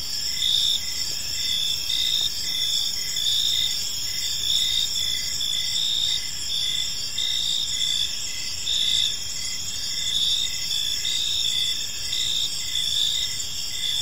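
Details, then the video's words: Crickets in a park at dusk, a dense high-pitched trilling chorus with repeated short chirps pulsing steadily beneath a continuous ringing drone. "Cricket Sounds in a Peaceful Park"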